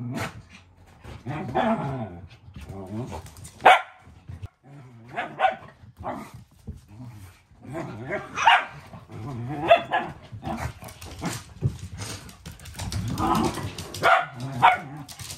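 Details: Two Shetland Sheepdog sisters play-fighting indoors: Luka, a three-year-old blue merle female, and her bi-black puppy sister Anju, two weeks after Anju's arrival. Rough growls and short barks come in bursts, with human speech mixed throughout.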